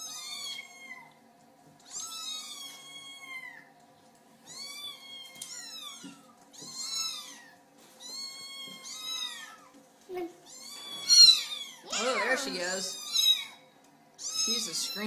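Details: Kitten seeking attention from its owners, crying a long series of high, wavering mews roughly every one to two seconds, louder and more ragged toward the end, with a faint steady hum behind.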